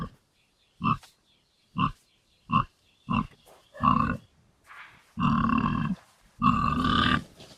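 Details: Farm pig in its pigsty: a series of short, deep grunts about once a second, followed by two longer, louder, harsher grunts; nothing else audible.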